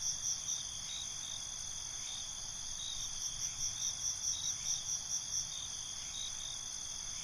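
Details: Crickets at night, several high shrill chirps pulsing about twice a second in bursts over a steady, continuous high-pitched insect drone; calm night ambience with no other clear sounds.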